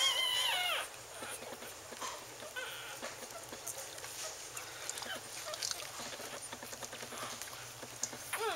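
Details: Wheaten Terrier litter born October 18, 2011, with their mother: a long high whine at the start, then many faint, rapid squeaks and mewling cries from several puppies, with soft rustling throughout.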